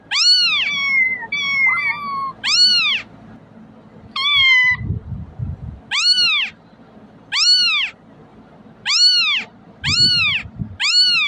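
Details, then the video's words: Repeated kitten cries used to lure cats: bright, arching meows at a steady pace after a few thin, flat wavering squeaks early on, with soft low background thumps in the gaps. "เสียงลูกแมวร้อง ใช้เปิดเรียกให้แมวมาหา"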